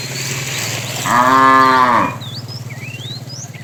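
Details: A fat cow among tame cattle, herded in the afternoon, gives a single full-throated moo lasting about a second while calling the female. A steady low hum runs underneath, and bird chirps follow.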